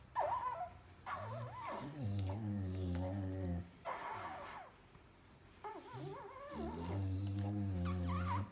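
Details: American Staffordshire Terrier, a champion show female, making drawn-out whining, groaning vocalisations in several bursts with wavering higher tones over a low rumbling base, separated by short quiet pauses indoors.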